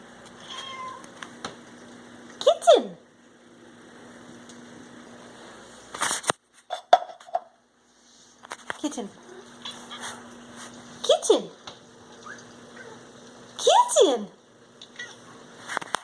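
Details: Domestic cat named Kitten, a young pet indoors, squeaking for his dinner: four short, high, squeaky meows that slide sharply downward, spaced a few seconds apart, with a person's voice calling him and a couple of sharp knocks between calls.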